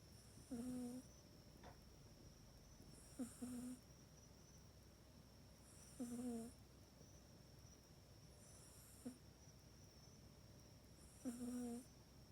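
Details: Mac the pet cat snores while sleeping in its cat bed at night, recorded indoors on an iPhone 8: five short, hoarse, buzzy snores with a low tonal core and breathy hiss, one roughly every two and a half seconds, in a quiet room.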